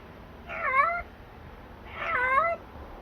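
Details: Stray yard cats appearing outdoors; two clear harmonic meows, each about half a second long, rising then falling, a second apart, over a quiet background.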